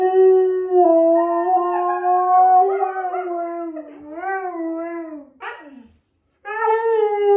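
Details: Pet husky giving a long sustained howl that slowly sinks, then breaks into wavering, yodel-like woo sounds and a brief squeak, falls silent for a moment, and starts a new howl.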